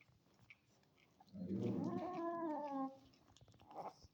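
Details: Adopted stray kitten, angry while eating cake, lets out one long drawn meow of about a second and a half, harmonic and slightly falling, with faint chewing noises before and after in a small indoor room.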